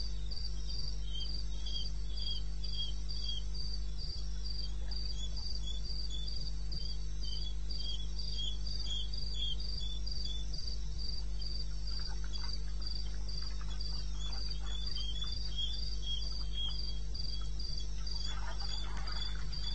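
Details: Crickets in the wilderness of eastern Botswana, recorded 21 May '16 at 2:30 a.m.: high, even chirps repeated about three times a second over a steady low rumbling hum, with faint scratchy rustles late in the recording.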